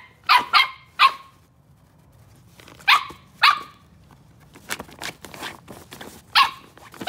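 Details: Daisy, a red female Miniature Australian Cattle Dog puppy, playing on a folding chair; clusters of shrill yappy barks, three quick ones, then a pair, then one more, with scratchy scrabbling and rustling between them.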